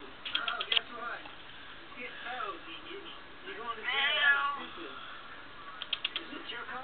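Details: Smokie, a female pet cat, telling her owner what is on her mind with a run of short, rising-and-falling meows spread across the clip, some in quick pairs, while her owner talks back to her indoors.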